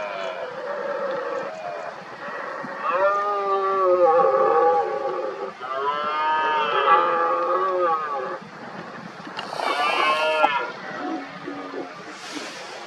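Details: Rival red deer stags in the 2023 rut, mostly smaller males, roar at a dominant stag. Drawn-out, moaning harmonic roars last two to three seconds each, separated by short gaps, with a brief hiss near the end.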